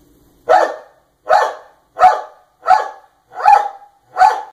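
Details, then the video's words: A dog barks on request while caterpillars react by jumping at the sound: six loud, sharp barks spaced roughly every three-quarters of a second, each a short mid-pitched burst, against an otherwise quiet background. "Barking dog"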